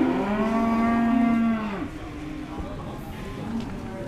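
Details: Cattle at the Dimoro livestock market in Blitar, Indonesia, amid bargaining over weight and meat price; one flat, sustained moo of about a second and a half fading into murmuring voices.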